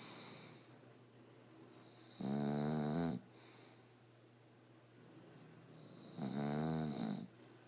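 An English Bulldog snores loudly, each rattling inhale lasting about a second, with quiet breathing between.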